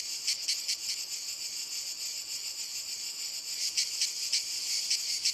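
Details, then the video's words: Chorus of cicadas in walnut trees: a continuous shrill drone, with distinct throbbing pulses at the start, fading to a smooth buzz, then pulsing again near the end. "Il Canto della Cicala - Albero Di Noce"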